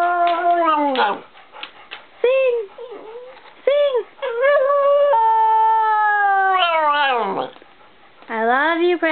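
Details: Pet dog Precious crying the blues after the son she greeted leaves on an errand: wavering howls that bend up and down, a long steady sustained wail, then a falling note, with a person urging her to sing and saying I love you.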